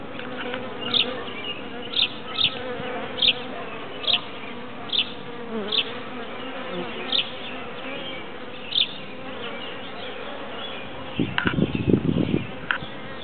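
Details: Bees clustered in a tree hum continuously, a broad droning buzz punctuated by short sharp whines of single bees flying past near the microphone, with a low rustling thump toward the end.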